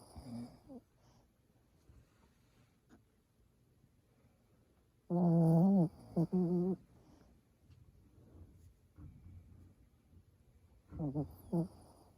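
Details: Pomeranian snoring heavily indoors: low nasal rumbles with a loud, harmonic snort burst around five seconds and another near eleven seconds, faint breathing between.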